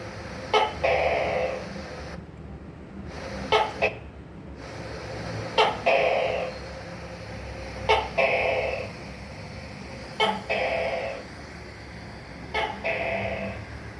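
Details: Tokay gecko (tắc kè) repeating its call six times, roughly every two seconds: each a quick sharp click-like note then a longer buzzy, nasal second syllable, loud against a quiet hum in a small room.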